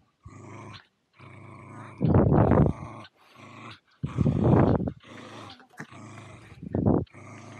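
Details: Two Welsh Terriers, Zorro and Zula, playing at Torgo Talu Guesthouse & Farm in Estonia, recorded on an Insta360 Go2: three loud, rough growling bursts near two, four and seven seconds, with softer rumbling grumbles between them.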